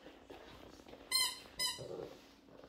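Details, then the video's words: Shih Tzu puppy singing along with a baby in a small room: two short, steady, high-pitched whining notes about half a second apart, followed by a softer murmur. "같이 노래하는 아기와 시츄"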